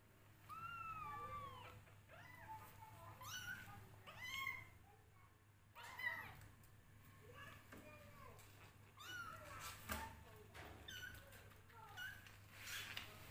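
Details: Hungry kittens fighting over a bottle full of milk give high, wavering meows, several overlapping and rising then falling, scattered through the recording amid a low steady hum and occasional human speech.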